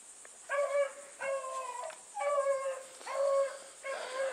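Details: Bluetick hounds running together give drawn-out bawling bays, five mournful harmonic-rich calls about every three-quarters of a second, each held and slightly falling, with a steady high hiss in the background.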